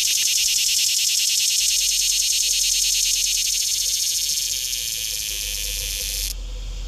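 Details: Green cicada singing up close in Shelby County, Tennessee, 2015: a loud, dense, harsh buzz with a fast pulsing texture, held steady for about six seconds before cutting off abruptly, leaving quiet background.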